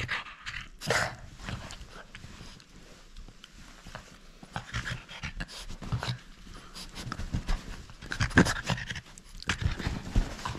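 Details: French Bulldog at play that will not give up its toy: intermittent snorts and breathy panting bursts, quiet between bouts, over clicks and rustling in a small room.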